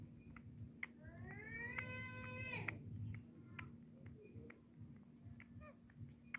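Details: A baby monkey drinking milk gives a single drawn-out, tonal wail that rises slightly and then falls away.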